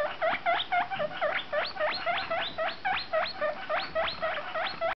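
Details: A single young female guinea pig kept as a pet giving rapid repeated squeaks, each a sharp upward-sweeping whistle, about three to four per second in a steady insistent run.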